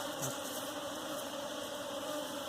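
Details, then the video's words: Continuous even buzzing of bees from a hive being captured for keeping, a smooth low drone with a brighter layer above, holding level with no pauses. "Bee Hive catching for Domesticating"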